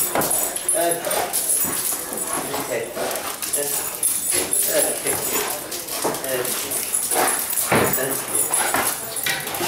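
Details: German Shepherd greeting its owner at a reunion after 12 hours apart. It gives excited, high, harmonic whimpers and short yips in quick bursts, with a person talking over much of it indoors.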